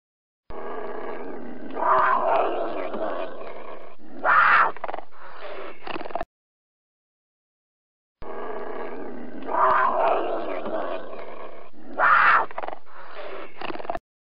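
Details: Cougar. A cougar lets out a rough, grating roar that swells into two louder, strained peaks before cutting off. The same few-second outburst comes again after a brief silence.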